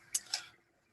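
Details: Two sharp, bright pops about a fifth of a second apart as a captive eagle ray, fed clams, cracks a clam shell with its crushing teeth, then quiet.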